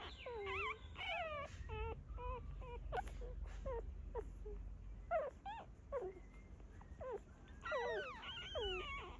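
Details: Whining dog sounds as a mother dog gives birth to her puppies in a hidden place; wavering, falling whimpers in quick clusters, with clicks and rustling between them and a long sliding whine near the end.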